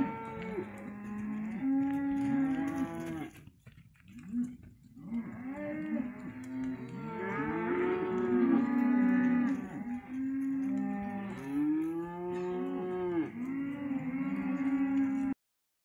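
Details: Several Hereford calves offered as one lot, mooing over and over, with drawn-out lows rising and falling in overlapping bursts, a short quiet gap early, then a continuous chorus of bellowing calls.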